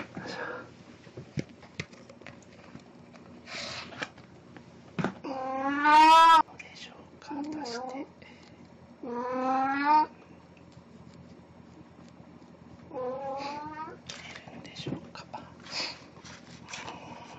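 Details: Indoors on 1 April 2017, the cat Puran repeats a Snow White costume encore; a rising, strained meow, then shorter meows, a longer wavering one and a softer final call, between murmured speech and small clicks.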